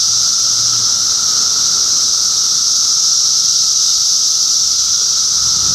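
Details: Cicadas in Middlesex County, New Jersey, June 2013, forming a steady, unbroken high-pitched drone with a fainter, lower humming tone beneath it. The sound holds constant throughout, with no pauses.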